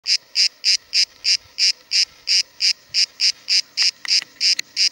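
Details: Cicada recorded near Cahors, France, in July 2017: loud, buzzy rasping pulses repeated about three times a second in a steady, even rhythm, with faint background clicks.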